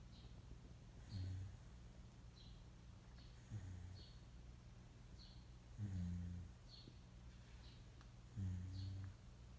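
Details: Moka, a Shiba Inu mix pet dog, snoring while awake: four low, rough rumbling breaths about every two and a half seconds over a quiet background, with faint high chirps repeating above.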